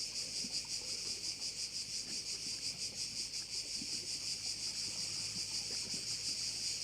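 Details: Crickets at a Korčula bay, Croatia, produce an unbroken high, rasping chorus that throbs in quick regular pulses, with a low faint hum in the background.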